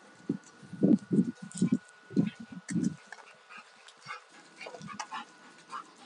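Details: Alaskan Malamutes at rough play, a male of two years and a female of four and a half, give a run of throaty growling bursts roughly every half second, fading into softer grunts and shuffling.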